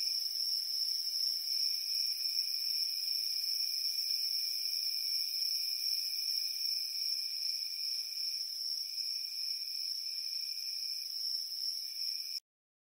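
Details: Chirping crickets on a warm summer night form an unbroken shrill chorus of layered high trills, gently throbbing, with a lower tone wavering near the end before the sound cuts off abruptly into silence.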